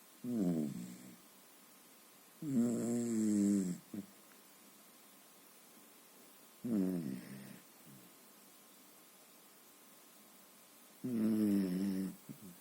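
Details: Sleeping Beagle named Maggie snoring: four drawn-out, low, harmonic snores with a groaning tone, each lasting about a second, spaced roughly three to four seconds apart with quiet pauses between.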